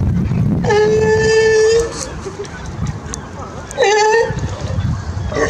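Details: California sea lions playing in the clear waters of Monterey Bay, California, give two drawn-out, steady, bleating calls over a low rumbling background.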